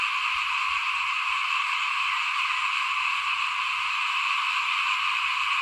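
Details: Frogs calling in front of a house at rice sowing time in 2021: a dense, unbroken chorus of shrill, buzzy trilling from many callers that blends into a steady wall of sound with no pauses.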